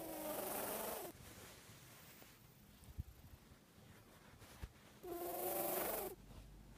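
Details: Odie, a 14-year-old cat with a scarred left nostril, sniffling loudly: two honking, trumpet-like nasal bursts about a second long and four seconds apart, with soft breathing and small clicks between.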